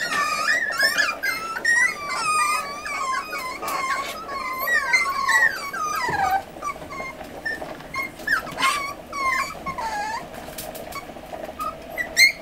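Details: Forty-day-old Miniature Schnauzer puppies, eight littermates indoors during weaning, whine after a scolding from their mother; busy overlapping squeals early, thinning to scattered, quieter whimpers later.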